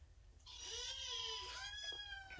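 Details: Rescued kitten at Purrfect Pals shelter, part of an abandoned litter, being petted and scratched indoors; one long plaintive meow lasting about a second and a half, rising slightly then tapering, in a quiet room.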